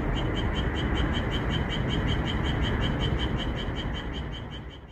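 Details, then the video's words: Japanese tree frogs calling in a red pepper field on a calm moonlit night, edited for abundant calling: a steady run of rapid pulsed croaks, close to four per second, gradually softening in the final second over a low rumble. "고요한 달빛 아래 고추밭에서 노래하는 청개구리소리"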